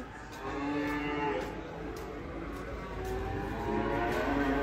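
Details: Agitated cow after leaving a truck and entering a small stall, giving low, drawn-out lowing with layered harmonics, fairly quiet, with faint clicks and background rumble.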